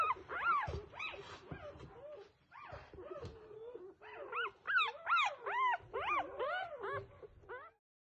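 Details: Several newborn F1B standard Goldendoodle puppies whine and squeal in rapid bursts, arching high cries tumbling over one another, with faint low rustles and thumps between calls.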